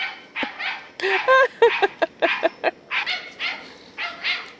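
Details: Katie, a 10-year-old Scottish Terrier bitch chasing squirrels in November 2008, gives an uneven mix of short barks, clipped yips and squeaky, whining notes, some run tightly together.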